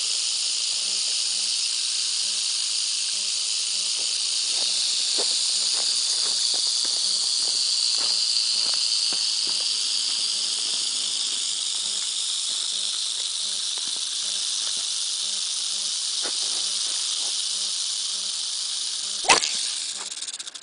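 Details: Rattlesnake attacking, its rattle producing a sustained dry buzz that barely wavers in loudness, with faint ticking beneath and a sharp knock just before the end.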